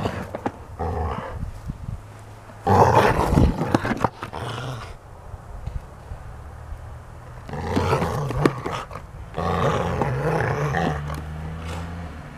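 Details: Playing Golden Retriever producing throaty growls in several separate bursts, a loud harsh snarl early on, then quieter stretches before longer rumbling growls return toward the end.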